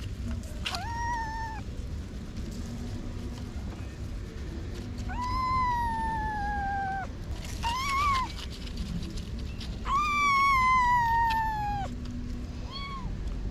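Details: Young kittens of six to eight weeks whose mother has been gone a week, relocated from a parking garage entrance: five drawn-out, high meows, several sliding gently downward, spaced a few seconds apart over a steady low background hum.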